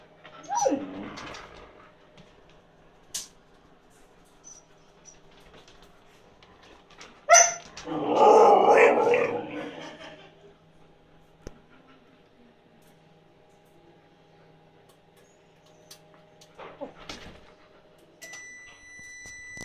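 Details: Siberian Husky Yula pleading for food that is going cold, in a small room: a brief falling whine at the start, then a loud two-second howling cry, with electronic beeps near the end.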